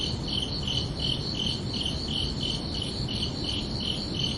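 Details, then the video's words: Crickets chirping under a night sky on a summer evening: a steady train of short, high, pulsed chirps, close to three each second, over a soft low rumble. "Calming Cricket Sounds for Relaxation"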